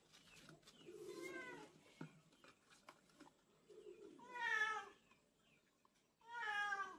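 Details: Baby male Texel guinea pig with a curly coat gives three loud squealing calls, each an arched, harmonic-rich whistle about half a second long, spaced two to three seconds apart, with soft rustling and faint chirps between them.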